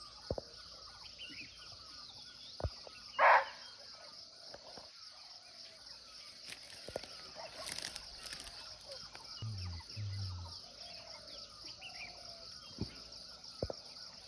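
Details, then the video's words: One short, harsh bark from a muntjac (barking deer) in its forest habitat in Nepal, captured nearby without the animal in view, followed by quiet stretches of steady insect drone, light rustles and faint bird notes. "Real Barking Deer Call"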